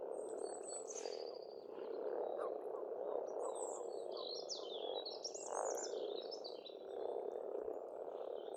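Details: Springtime frogs croaking in a continuous massed chorus at an Estonian pond, rising and falling in waves, with bright trilled and warbled bird song above throughout.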